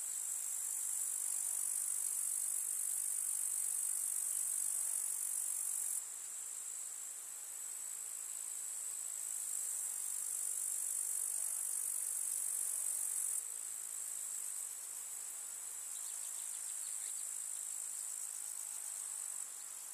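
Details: A chorus of grasshoppers in a summer field of flowers, an unbroken sizzling high-pitched buzz that alternates between louder and softer stretches every few seconds, with a faint low hum briefly underneath.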